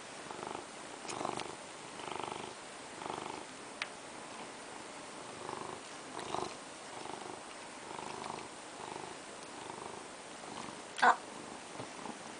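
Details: A pet cat named Teto purring indoors while wanting a crab stick treat; a soft rhythmic rumble swelling roughly once a second, with a brief sharp click near the end.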